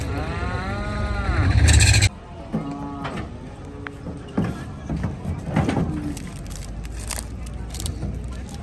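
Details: Cattle being unloaded at Gabtoli cattle market in Bangladesh give a drawn-out harmonic moo that rises and falls over two seconds, ending in a loud burst of noise, followed by people talking and market clatter.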